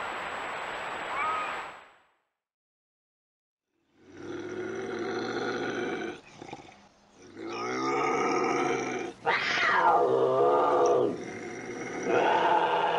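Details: Bobcat voice in spliced bursts: a brief higher yowl, a pause, then harsh rasping growls and a rising-and-falling screeching yowl, loud and broad throughout.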